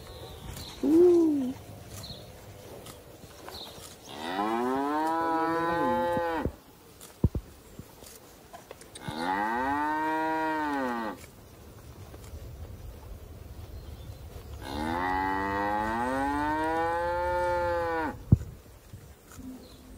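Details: Young cow, gentle and attached to its owner in rural surroundings, moos three times at even spacing of about five seconds, each call a full harmonic bellow lasting two to three seconds, with quiet gaps and a brief higher cry early on.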